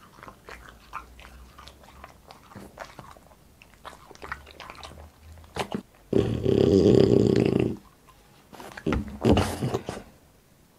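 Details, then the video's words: Boss, a French Bulldog, eating in a small indoor room for a mukbang: quick soft chewing clicks at a steady pace, then a loud sustained low growly rumble lasting over a second, followed by more chewing. "ASMR MUKBANG BOSS FRENCH BULLDOG EATING"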